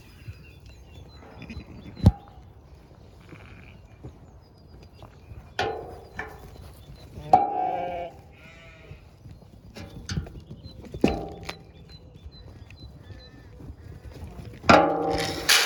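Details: Zwartbles ewes and ewe lambs calling at morning feeding on a regenerative farm in County Kilkenny, Ireland, misty spring morning; several loud, harsh bleats at irregular intervals, with sharp knocks between them and faint birds.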